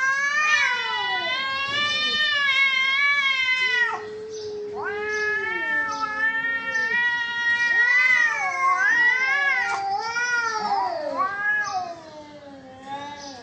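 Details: Fighting cats trade harsh, quavering caterwauls with rapid wobbles in pitch. Sustained wails alternate with lower drawn-out growls, interrupted by sharp broken cries, and fade toward the close.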